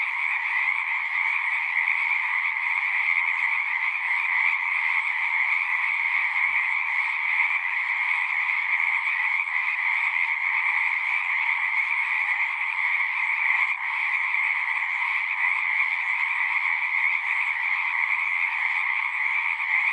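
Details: Frogs chorusing at a pond in a horse pasture, recorded on a Zoom 6: a dense, unbroken wall of trilling calls in two steady bands, one high and one lower, with no pauses across the whole stretch.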